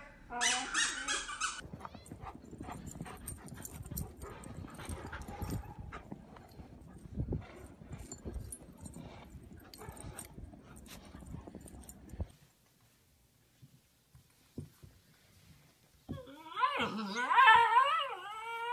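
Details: Husky fussing over having its collar put on: a brief harmonic yelp at the start, then long stretch of rustling and handling noise with a person talking, silence, and finally a wavering, warbling whine-howl.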